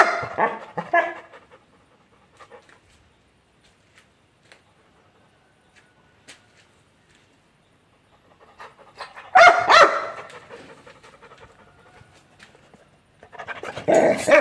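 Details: An angry Labrador Retriever gives a few harsh, rough barks separated by long quiet pauses.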